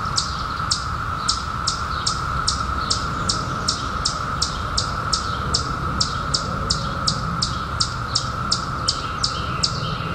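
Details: Droning mass song of periodical cicadas out in 2021 after 17 years below ground, flat and continuous, under a run of quick high bird chirps, each sliding down, around three per second.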